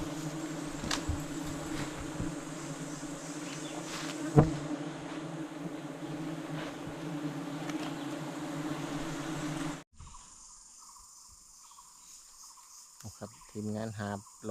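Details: Giant honey bees humming as hunters take their nest, reported to hold 100 kg of honey; steady low buzzing with a sharp knock near the middle, then the drone cuts off abruptly, replaced by quieter, different ambient sound.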